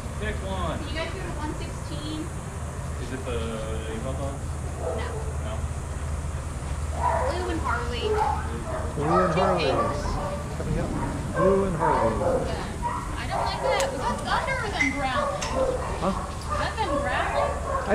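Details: Several dogs playing together at a daycare, barking in overlapping bursts that grow busier in the second half, over a steady low hum and people talking.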